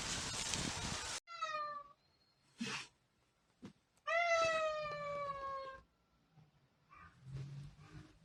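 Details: Domestic cat, one of six cats being compared by voice, giving two harmonic meows, the first falling and the second longer, louder and slightly descending, with a short soft squeak between them and a brief burst of noise at the start.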